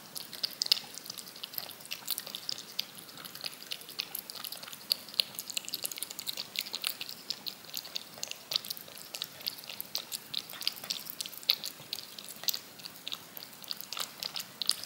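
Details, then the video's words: Yogurt being licked off a spoon by a cat, in a looped recording; continuous fast, moist ticking and smacking, evenly spread, nothing else audible. "CAT LICKING YOGURT off a SPOON"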